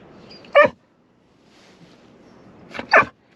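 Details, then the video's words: Golden Retriever, impatient in a car's back seat on the way to the beach, making funny noises: two short, sharp, strained yelps about two seconds apart, with quiet car hum between them. "Our Golden Retriever is impatient waiting to go to the beach, and starts making funny noises"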